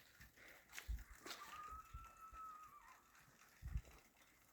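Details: Wild coyotes whining and howling outdoors at 4 am, heard from a house while a pet cat is called inside; one long, thin, steady howl held for over a second, with low thumps and rustling nearby.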